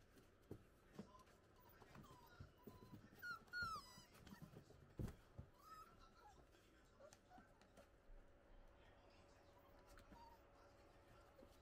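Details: Playing six-week-old Italian Greyhound puppies give a clear wavering squeal near the start, then scattered soft whines and yips among bumps and scuffles.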